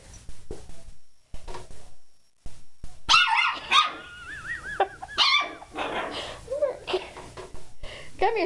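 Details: Puppy that fears plungers, called into a kitchen where a plunger waits; a woman repeatedly calls it, then wavering high whines and yelps rise and fall amid her voice.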